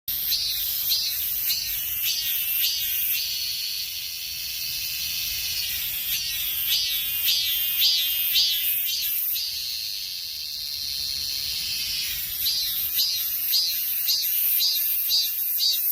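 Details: Cicadas give a loud, high, continuous buzz that breaks into rapid pulsing, about two throbs a second, then settles back to a steady drone before pulsing again.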